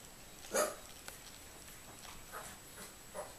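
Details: Mitzie, a mother cat, with her fifteen-day-old kittens, which are learning to walk. A short, loud, harmonic mew is followed by three fainter, shorter mews about half a second apart, indoors over a quiet background hiss.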